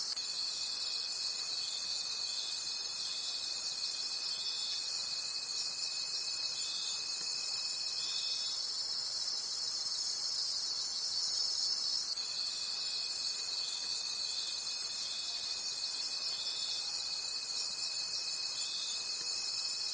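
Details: Many crickets calling in a forest at night, a bright high chorus pulsing steadily about three times a second, with a sustained thin whistle-like tone that pauses for several seconds in the middle before resuming.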